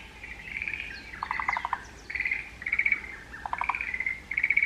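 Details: Forest green tree frogs calling in the mountains: overlapping rattling pulsed bursts with short gaps, joined by lower, rapid knocking pulse trains twice, and faint higher chirps over a quiet background.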